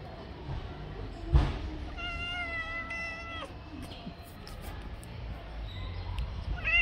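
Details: Stray male tabby cat on the street, handsome, giving one long steady meow with clear stacked harmonics lasting over a second, then a shorter rising meow at the end, amid low city background noise and a thump.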